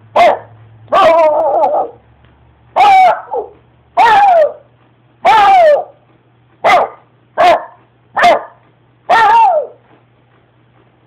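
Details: A dog named Spider barks in loud, sharp bursts, about nine barks in eleven seconds, some drawn into short whining yelps, with a steady low hum beneath.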